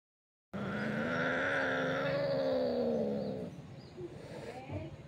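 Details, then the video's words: Cats fighting: a long, low, droning growl-yowl held steadily for about three seconds, easing off and then fading into rough, noisy scuffling near the end. "cats fighting with sound"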